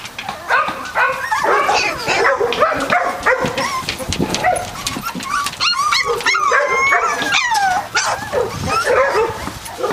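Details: A litter of 3-week-old Catahoula Leopard Dog puppies from Dixie and Beau, many voices whimpering at once; wavering whines and rising-falling squeals pile up, with some sharper yips near the middle.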